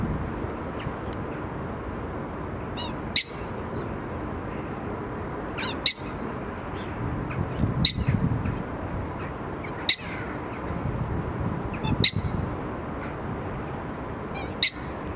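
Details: Captive prairie dog at Blijdorp zoo, giving a loud greeting with sharp, very short chirps every two to three seconds over a steady low background hum.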